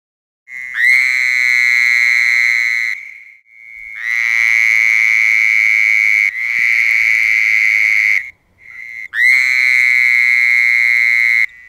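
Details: Frogs singing to welcome spring: four long, steady, high trills, each held two to four seconds with short silent gaps between, loud and even in tone.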